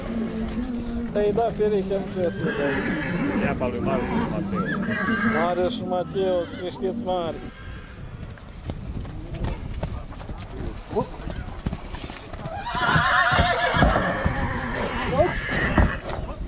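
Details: A mare at Satu Mare produces a long series of wavering, stepped whinnies that descend in pitch over several seconds. A second burst of neighing follows later, with people talking and hooves clattering.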